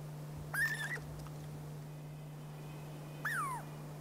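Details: Douglas squirrel, a Pacific Northwest squirrel also called chickaree or pine squirrel, giving two short whistled calls that hold level and then slide downward, about three seconds apart, over a steady low hum.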